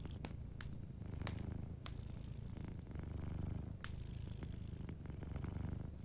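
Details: Cozy fireside scene with a sleeping house cat purring, a dense low rumble in rhythmic breath-length waves, accompanied by frequent sharp crackles and pops from the fire.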